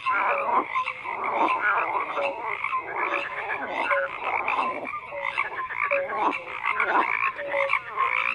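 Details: Croaking frogs fill the air in a dense chorus, with rhythmic raspy pulses and recurring brief tonal notes about once per second, many callers overlapping constantly.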